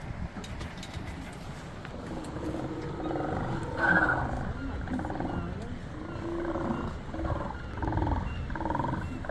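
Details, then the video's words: Sea lions barking in Resurrection Bay, Seward, Alaska; a dense chorus of deep, hoarse, overlapping barks and roars rolling continuously, with low rumbling background noise. "Barking sea lions in resurrection bay Seward Alaska"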